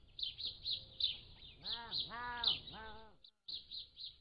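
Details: Young Pallas's cats aged 3 to 7 weeks, recorded by a motion-activated trail camera: three arched, nasal mewing calls in quick succession, while rapid high bird chirps, including peacocks and other birds, continue behind.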